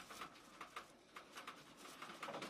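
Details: Indoor Abyssinian guinea pig mother with three newborn young, split off from the herd after giving birth; quiet, clipped chirping pulses recur at irregular half-second intervals amid light cage noise.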